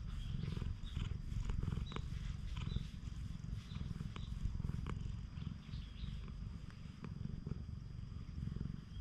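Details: Free-roaming cat on a cat island in Japan being petted by hand, GoPro recording; deep continuous purring pulses in an even rhythm throughout, with light rustling and soft clicks of handling on top.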